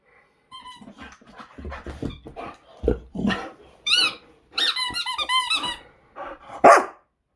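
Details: Boxer dog Zeta, full of energy, playing indoors with a squeaky toy: low growling grunts mixed with sharp, high toy squeaks in short bursts, ending in a loud squeak.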